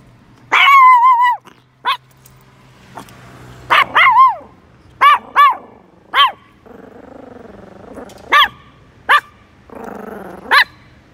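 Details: Chihuahua barking in a series of sharp, high yips, some short and clipped, one longer drawn-out yelp at the start, with soft growling between barks in a quiet room.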